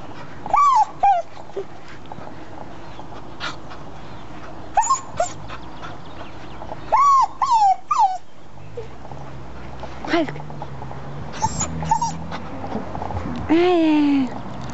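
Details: Red English Cocker Spaniel crying because he wants his blanket: high whistled whimpers, some falling and some rising, coming in short bursts a few seconds apart, ending in a longer descending whine, with a woman speaking French to him.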